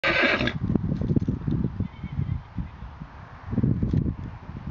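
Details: Four-year-old Portuguese mare being ridden by a ten-year-old child; a short bright whinny opens the clip, followed by steady low thudding of hooves and movement noise throughout.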